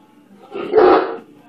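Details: A single deep, harsh bark, rising and falling over about half a second, from a 135 lb Great Dane afraid of a bubble blower stick; a person's voice follows.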